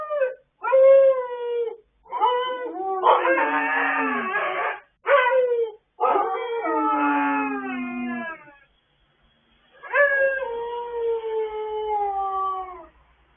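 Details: Several dogs howling together late at night, recorded 26 October 2022: long, tonal, wavering howls in overlapping voices, some sliding downward, sung in bursts of one to three seconds with short silent breaks.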